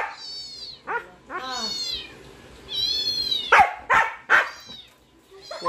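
A Siberian Husky gives drawn-out, wavering whines and yowls that rise and fall, with sharper yelps between.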